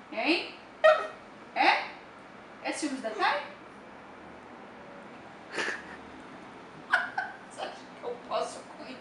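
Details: Dapple piebald Dachshund named TAS, indoors, complaining because his sister Thai sits on the owner's lap: several drawn-out, wavering harmonic whines and grumbling moans in short bursts, followed by sharper brief yelps and huffs with pauses between them.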